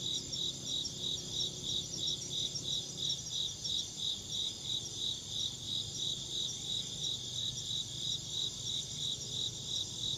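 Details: Insect chirping in a fast, regular high-pitched pulse train, a little over three chirps per second, continuing throughout against soft low background hum.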